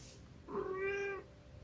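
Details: Munchkin cat giving a single soft, drawn-out meow lasting under a second, steady in pitch with a slight rise at the start, over quiet background hiss.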